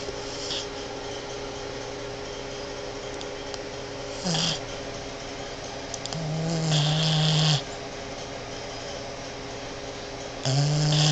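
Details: Vanessa, a female Boston Terrier, snoring while asleep in bed, a few drawn-out rasping snores with a buzzy low drone and hissing breath, separated by quiet pauses, over a steady indoor hum.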